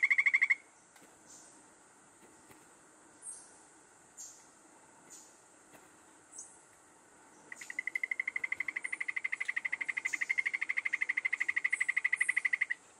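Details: Golden poison frog, a critically endangered Colombian species studied near the Alto and Bajo Anchicayá area: a rapid trill of evenly spaced pulses, one brief burst then a long steady run, with faint high insect chirps behind.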